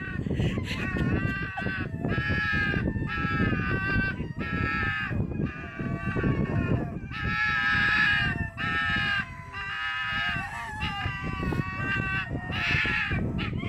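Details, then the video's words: Foxes fighting and screaming at Fox Village, Japan: a relentless series of harsh, shrill, wailing screams, each lasting about a second and repeated almost without a break, over a constant rough background din. "Screaming Foxes"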